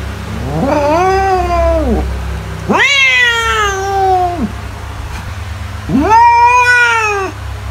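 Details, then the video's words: Domestic cat, played to scare mice away, giving three long, drawn-out meows, each rising then sagging in pitch, about a second and a half long with short gaps between, over a steady low hum. "CAT SOUNDS TO SCARE MICE AWAY"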